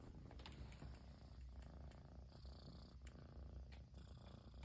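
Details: Continuous low purr from a Persian kitten in Japan, happy that its owner has at last returned; dense rumbling throughout with light clicks and rustles over it.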